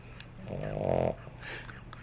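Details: Puppy sleeping very heavily and snoring really loud: a single rough, buzzy snore swelling over about half a second, followed by a softer breathy exhale, with a steady low hum in the room.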